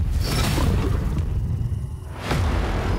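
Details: Booming, whooshing sound effects and music fill the recording, with no animal voice present.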